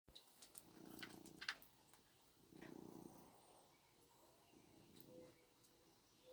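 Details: Orange tomcat purring while hugging a dog's tail: soft rumbling purr bursts around one, three and five seconds, separated by quiet gaps, with a few faint clicks and rustles.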